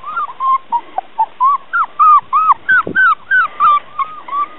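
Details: Border Collie puppies playing on the lawn, a steady run of short high-pitched whimpering yelps, about three per second, arched and whining, with a soft thud midway.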